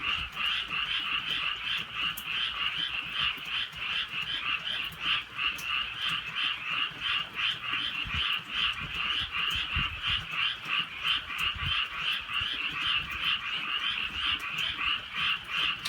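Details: Frogs croaking through a rainy night in the countryside: an unbroken, pulsing chorus of mid-high croaks around three per second, with brief clicks and soft low rumbles.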